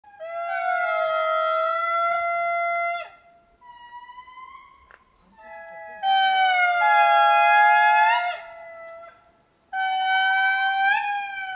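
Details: A male indri calling in Mitsinjo park, Madagascar, gives loud, wailing, horn-like notes, each held two to three seconds, while his family calls offscreen.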